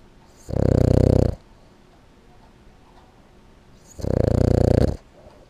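A Boston Terrier snores in low, rattling bursts, one rough breath every three and a half seconds.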